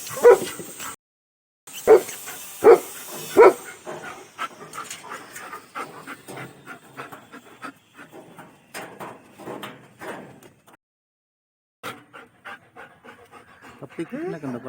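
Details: Pet German Shepherd named Pappi gives four loud clipped barks at the start, then softer rapid whimpering yelps and panting follow at about eighty per minute, fading and irregular, while a person calls the dog's name.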